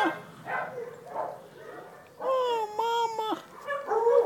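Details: Dachshund puppy with its mother, recorded August 5th 2011: soft murmuring whimpers, then a clear, level whine lasting about a second, broken into short pieces, followed by a rising squeal.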